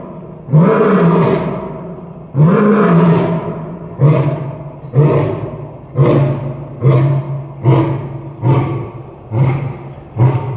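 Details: Captive male lion at Tulsa Zoo on 3 January 2021, roaring into his den for the echo: two long deep moaning roars, then a series of shorter grunting roars about every 0.7 seconds, steadily fading.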